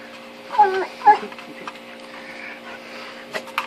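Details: Zena, a female Rottweiler, cries in frustration while trying to get her teeth into a 10-inch unbreakable wiffle ball toy, filmed indoors on a Samsung Galaxy S3. Two short, high, wavering whines come in quick succession over a steady mechanical hum.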